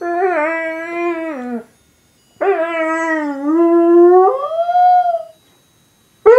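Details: A Weimaraner howls along to "Scotland the Brave" in long, clear, mournful notes that waver and bend before gliding upward; two sustained howls are separated by a short silence, with another cut off at the end.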